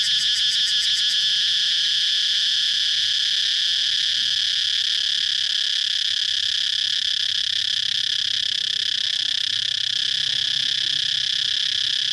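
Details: Cicada buzzing: a brief rapid pulsing in the first second, then a long, steady, piercing high drone that continues without a break for over ten seconds.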